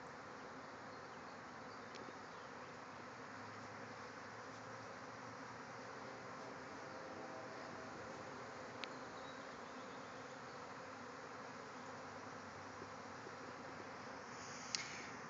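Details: Thousands of bees swarming out of a backyard hive, flying all around the yard; a dense, steady, unbroken buzzing hum fills the whole stretch, with a few faint clicks and a brief knock near the end.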